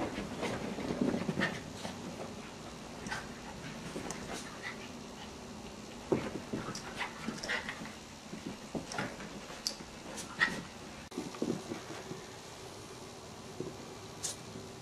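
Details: Maltese puppies playing with a cat: scattered short, high whimpers and squeaky yelps come at irregular moments, mixed with soft thumps, scuffling and pawing noises throughout, with faint breathy panting between the louder bursts.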